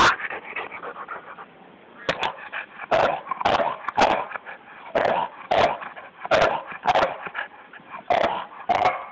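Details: Bulldog attacking a snake, barking: after a quieter opening, about a dozen sharp, loud barks come in irregular bursts, often less than a second apart, with some whimpering noises between them.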